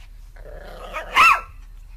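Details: Single sharp dog bark following a soft low rumble, set against faint background hum indoors.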